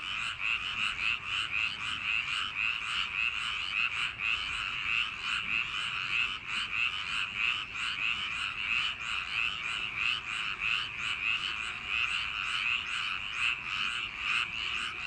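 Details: Frogs crowding a summer-night paddy field with ceaseless croaking, many individuals overlapping in rhythmic rasping pulses that swell and dip slightly, the chorus filling the whole stretch without other distinct sounds.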